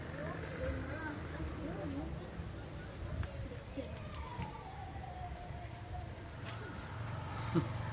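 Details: Tabby street cats run up asking for food, one of them angry; a wavering meow, then a longer drawn-out meow sliding slowly downward, over steady low traffic rumble and outdoor background noise.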